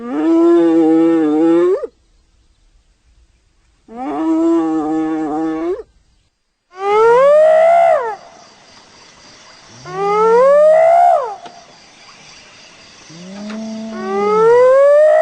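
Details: Hyena producing a series of calls: two long steady moaning tones, then three rising whoops climbing steeply from a low start, spaced about three seconds apart, with faint background hiss.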